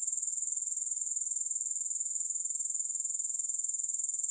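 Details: Grasshopper sound is an unbroken, very high, sizzling trill with regular pulses roughly four per second. The trill holds a constant level throughout, with no music or other noise.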